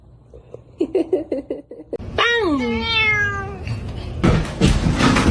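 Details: Domestic cat indoors: a run of short chirping trills, then one long loud meow that falls in pitch, followed by thumping and rustling noise.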